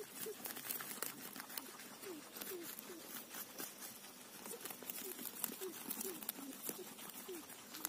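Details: Guinea pig eating a cauliflower leaf: steady crisp crunching and tearing of the leaf, with short soft tonal chirps around the chewing repeated every second or so.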